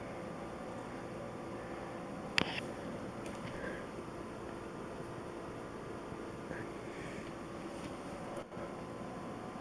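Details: A quiet indoor room with faint background hiss and a few brief clicks, but no animal voice.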